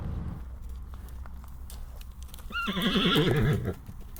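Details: A horse gives a loud trembling whinny in the last second, rapid wavering pitch stepping down, after low rumbling background and faint clicks.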